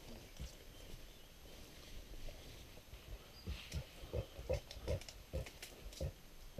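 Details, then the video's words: Mountain gorillas in Rwanda, excited: a series of short, deep grunts comes in irregular pulses, quiet at first and then louder and closer together in the second half, over faint forest background noise. "Excitement and sound of mountain gorillas"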